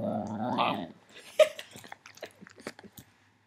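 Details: Female house dog reacting to the little green light on a Mac camera: a loud, rough, harmonic growl that rises slightly in pitch over about one second, followed by soft clicks and mouth noises in a small room.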